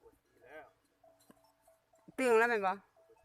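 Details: Water buffalo returning home at evening gives one loud, long, wavering bawl lasting over half a second, preceded by a brief softer call; otherwise quiet apart from faint murmurs.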